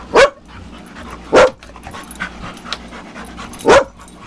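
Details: Dogs playing at a dog camp, among them Tetra the Husky, Myla the Red Lab and guests Cole, Gypsy and Gracie: three sharp, loud single barks about a second or two apart, with soft rustling and faint background noise between them.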